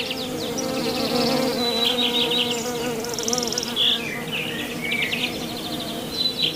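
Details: Honey bees on lavender hum steadily, a low droning buzz that shifts in pitch, while small birds chirp overhead.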